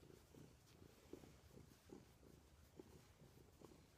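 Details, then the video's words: Pet cat lying next to its owner in bed on 20 December 2014, purring softly; a quiet, low, rhythmic rumble in short regular pulses, with faint background hiss. "My Cat Purrs Loudly!"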